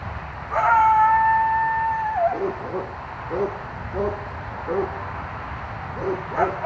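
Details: Possible coyote yowling at night near a driveway, with other sounds next door and dogs barking. One long steady howl, about a second and a half, drops at its end and gives way to a string of short, rough yips or barks.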